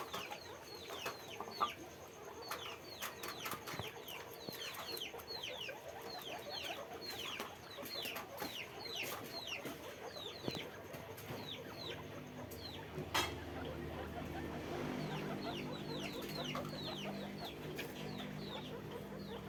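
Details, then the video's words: Many caged guinea pigs on a farm squeaking at once: dense overlapping high whistled squeaks, each sliding downward, repeated rapidly for most of the clip, with a clatter and knocks near the middle and low rumbling background noise afterwards. "guinea pig farm, guinea pig sound, guinea pig noise, guinea pig cage, sequeaking"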